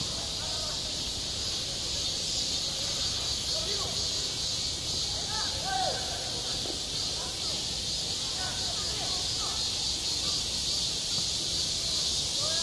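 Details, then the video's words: Midsummer cicadas singing around a school playground in a continuous bright, hissing drone, while faint distant voices and short scattered sounds rise and fall underneath. "한 여름 운동장에서 매미가 울고 있다 - 여름의 소리, 학교 종소리, 매미 울음소리"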